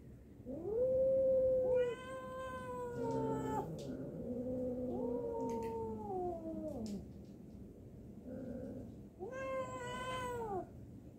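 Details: Fighting cat yowls loudly in repeated wailing bursts. Each bursts out high, then bends downward into lower, drawn-out moans, with overlapping tones between the louder outbursts.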